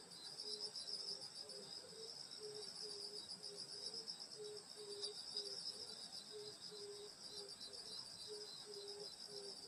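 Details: Summer-night insect chorus from a rural Korean grandmother's house, layered high continuous trilling with a lower, slow pulsed chirp repeating about twice a second throughout.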